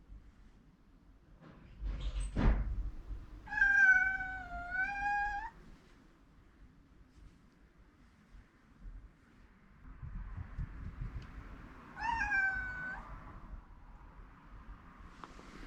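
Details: A rescued pet cat meowing insistently to wake its owner, worried the owner overslept: two long, drawn-out, tonal meows several seconds apart, the first steady and wavering slightly, the second shorter and falling, with a soft thump and quiet room noise between.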